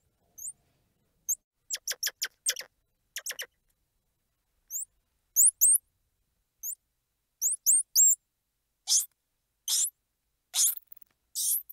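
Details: Squirrel monkey vocalizing: rapid sharp clicking notes, then thin, high, rising chirps in ones and twos, ending with several loud, harsh, buzzy squeals repeated about once a second. The background is quiet.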